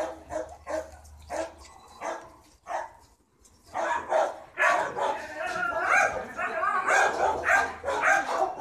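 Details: Small dogs barking: short, sharp barks spaced about half a second apart, a brief pause, then a denser, overlapping run of barks with people talking over them.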